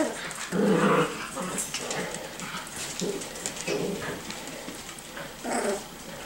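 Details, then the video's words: Playful five-to-six-week-old Miniature Schnauzer puppies wrestling; a loud whiny yelp near the start, then low growls and short squeaks scattered through, with scrabbling noises and a brief human voice. "Miniature Schnauzer Puppies - 5-6 weeks old"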